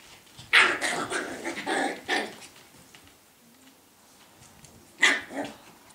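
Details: Scottish Terrier puppies in a quick run of rough, noisy barks and growly yaps over about two seconds, then a quiet gap before one more sharp bark with a short rasping tail.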